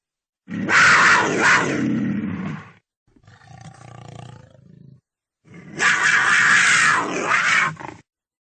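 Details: Cougar giving two long, harsh, raspy roars of about two seconds each. A quieter, breathy growl sits between them. The sound is coarse and noisy throughout, with no music or voices.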